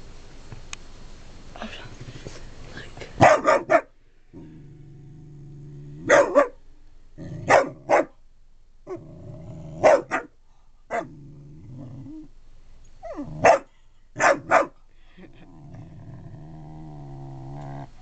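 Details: Harley, a pet dog, barks at his own reflection while being encouraged: short sharp barks in pairs and triplets, roughly eight bursts spread over eighteen seconds, separated by a steady low indoor hum.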